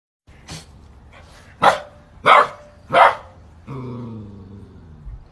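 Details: Family Saint Bernard kept as a guard dog gives four short, deep barks spaced under a second apart. A longer, lower, drawn-out whine or groan with a rich harmonic tone follows for over a second.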